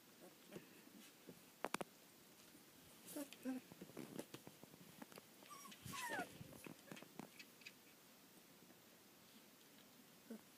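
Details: Collie puppies, 18 days old, filmed on 2 February 2013. A short squeak comes early, then a thin whine slides steeply downward around the six-second mark, with scattered rustling and soft clicks around it.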